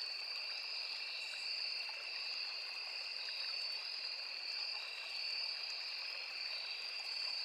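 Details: Forest crickets calling near a small river: continuous shrill ringing at two even pitches, barely wavering, laid over a steady wash of running water.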